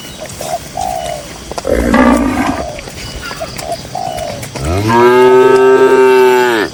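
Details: Cattle grazing peacefully in a green rural pasture: a short lower moo, then a long, steady, rich moo that swells and holds for about two seconds, with faint short chirping notes in the background.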